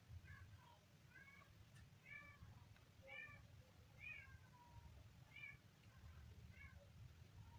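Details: A kitten gives a series of high, short, slightly rising and falling meows about once a second, eight in all, against a constant low-pitched hum.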